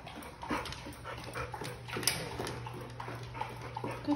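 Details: Boxer dog giving short, soft whimpers and yips at irregular intervals over a steady low electrical hum, with a sharper burst near the middle and another at the end.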